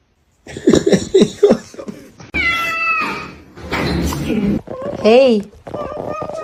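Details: Domestic cat meowing indoors in a small room, with human speech and short vocal bursts at the start, then a drawn-out harmonic meow and a bent, rising-then-falling meow near the end.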